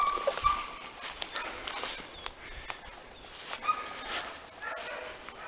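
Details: Segugio Italiano dogs in hare training, giving brief, thin tonal bays at the start and again midway, spaced apart, over soft outdoor hiss and occasional sharp knocks.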